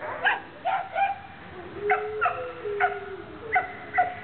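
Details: Two Alaskan Malamutes, a nearly ten-year-old and a two-and-a-half-year-old female, play in a kennel yard in April 2009, giving short, yelping grumbles and a drawn-out, wavering whine.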